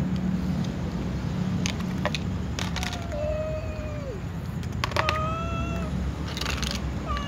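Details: Tom cat and white cat among a group before feeding: a drawn-out meow sliding downward at its end, followed by shorter meows, with clicks, clatter and a low steady hum behind.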